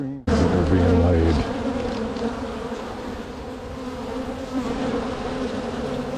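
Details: Spring hive split of a strong honey bee colony full of bees. A sharp knock and a short tonal scrape open the recording, followed by a continuous droning hum from the massed bees.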